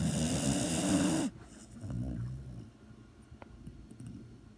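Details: A sleeping dog snoring: a loud, rasping, buzzy snore fills the first second and stops abruptly. Softer, low breathy snuffles follow over quiet room noise.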